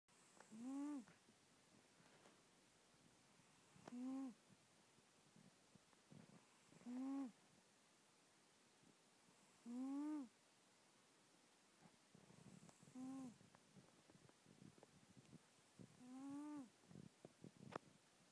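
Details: Domestic female cat deep asleep indoors, snoring loudly, recorded close up on a phone: six short, nasal, buzzy snores, each a brief rising-then-falling tone, repeating about every three seconds, with soft breathy rustles between.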